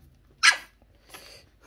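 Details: Pomeranian puppies on their first Christmas, excited while being offered treats and told to sit, indoors: one short, sharp, high yip, followed a moment later by a softer, breathy noise burst.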